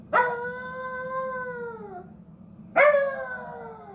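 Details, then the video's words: A small Beagle howling in response to a siren: two rising-then-falling harmonic awoos, the first sustained about two seconds and sliding downward, the second starting sharply after a pause, over a low steady hum. "tiny beagle awoos"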